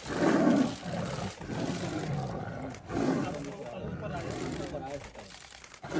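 Tigers give deep, rasping roars and growls in bursts during a fight over territory.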